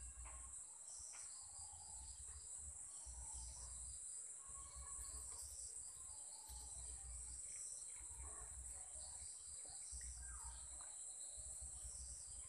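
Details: Evening insect chorus in Sri Lanka at seven o'clock: continuous piercing high trilling that never pauses, layered over deep background rumble, with scattered faint short chirps and whistles from other callers.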